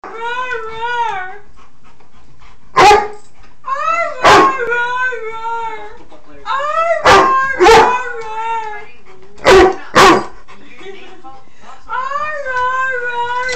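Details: Pet dog reacting to the sound of zerberts, giving long wavering howls that rise and fall in pitch, interrupted by several short sharp bursts of noise, with a person saying no.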